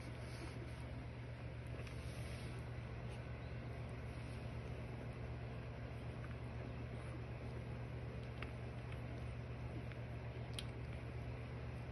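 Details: Quiet steady low hum and faint hiss, like distant traffic or a motor, with a few tiny clicks and no animal sounds.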